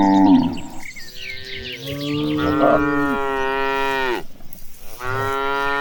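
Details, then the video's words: Cattle being herded as they walk toward a green pasture: long, deep, drawn-out moos with rich harmonics, one lasting about two seconds, then a second moo starting near the end; faint bird chirps in the background. "The Sound of Mooing Cows Walking Toward the Green Pasture"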